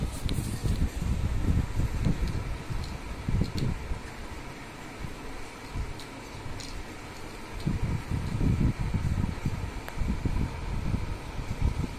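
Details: Steady mechanical fan or air-conditioning roar with irregular low rumbling in a small room, and no animal sound at all.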